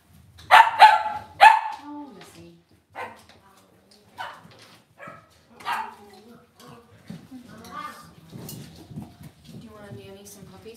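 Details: Cavalier King Charles Spaniel puppies in an indoor home puppy pen, raised within the home: a few sharp, high yips and barks in the first two seconds, then softer whines and murmuring speech-like sounds.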